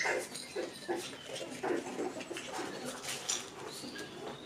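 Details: Six-week-old puppies, the litter of Rainy and Fancy, playing together in a pen; short high yips and whimpers come in uneven bursts roughly every half second over a steady background hiss.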